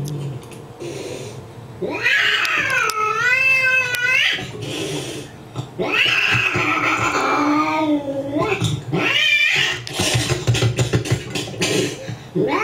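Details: Angry cat indoors, reacting to another cat shown on a computer screen; three long, warbling, moaning yowls that waver up and down in pitch, followed by shorter, harsher cries and some rustling.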